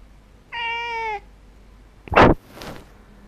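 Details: A house cat utters one loud, steady meow lasting over half a second with strong harmonics, followed by a sharp noisy burst and a softer rustle.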